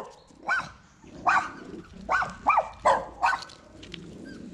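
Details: Poodle delivering a litter of seven identically coloured puppies; short high yelping whines repeated about every half second to second, six in a row over a quiet background.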